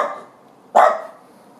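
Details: A single sharp bark from a Dachshund that has found a ringtail possum, loud and abrupt, following a fainter sound at the start and trailing off quickly in a small, echoing space.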